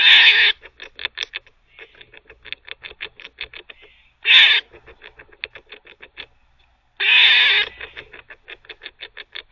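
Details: Squirrel kept as a pet, barking during teething: three coarse, hissy barks, at the start, middle and near the end, with a steady stream of fast, crisp clicks between them.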